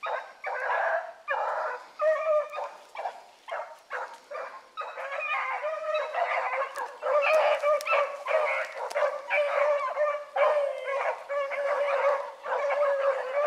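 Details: Young hounds, the Blackcreek pups Ringo, Mingo and Choco, baying while running a rabbit in the morning; loud, overlapping bawled bays come in near-continuous bursts, several voices layered with only brief gaps.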